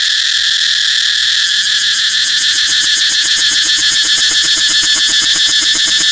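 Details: Cicada song as a dense, loud buzzing drone, its rapid pulses growing more distinct in the second half, the pitch steady and high throughout.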